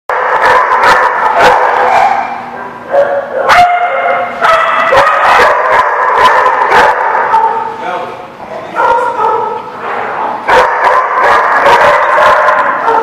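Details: Dogs at The Barking Lot, recorded 6/5/17, in a dense, nonstop chorus of overlapping yelps, whining howls and sharp barks, several voices layered at once with little pause.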